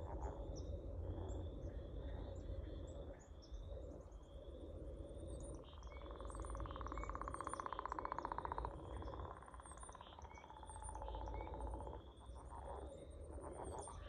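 Frogs calling together, with a fast pulsed trill rising above steady repeated high chirps and low background rumble.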